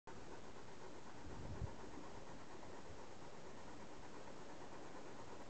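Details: Steady low rumbling noise, like an engine or passing train, fills the recording with no animal voice standing out.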